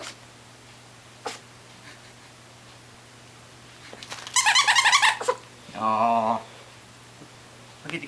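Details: Olive, a six-week-old mini dachshund puppy, playing with toys indoors at a house on October 28, 2008; a burst of short sharp squeaky noises, then a brief low nasal squeal, with a woman's voice talking to the puppy.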